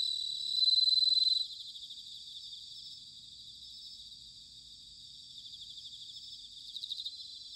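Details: Bell crickets singing in autumn at Sanuki, Chiba Prefecture, Japan: one loud, high, ringing trill of rapid pulses stands out for under a second, then a steady background chorus of many crickets continues, with another bright burst near the end.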